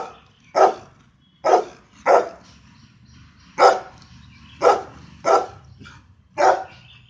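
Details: Louis, a pet golden retriever, gives seven sharp barks, spaced irregularly, some close together in pairs, over a faint low background hum.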